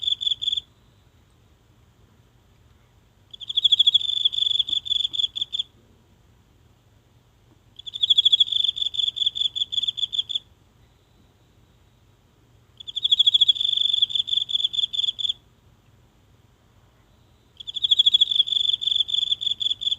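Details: Lone insect in the grass of a small garden at night in Japan, recorded near with a mobile phone: high, bright pulsed chirp bursts of about two seconds, repeated roughly every 4.5 seconds, with silence between in a still night.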